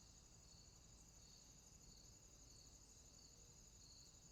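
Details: A cricket chorus in a swamp after dark, a constant thin high trill overlaid by rhythmic pulsing notes, with a low murmur of distant noise underneath.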